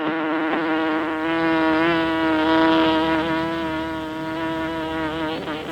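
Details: A village honeycomb harvest with honey bees droning close by: one sustained buzzing hum, strongly layered with overtones, swelling gently in the middle with small pitch wavers throughout.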